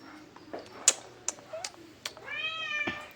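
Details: Domestic cat giving a drawn-out, rising-then-falling meow near the end, after sharp clicks and taps in a small indoor room.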